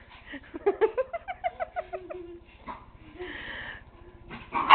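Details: Tigger, a year-old miniature pinscher, chasing flashlight light indoors alongside the dog Nero; a quick run of about a dozen soft, tonal yips, falling slightly in pitch, then a brief whine and a voice at the end.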